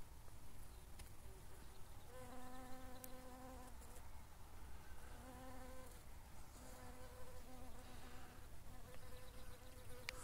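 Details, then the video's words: Brown-banded carder bee, a fairly rare bumblebee that is locally numerous and easy to recognise by its voice. A steady, low, harmonic-rich buzz comes in several bursts of one to two seconds with short gaps, over a low background rumble. "trzmiela rudoszarego można poznać po głosie"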